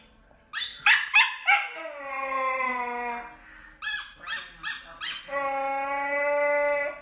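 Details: Husky protesting indoors as its collar goes on: a burst of three sharp yelping barks sliding into a sustained sagging howl, then another quick run of four yelps followed by a long, level howl.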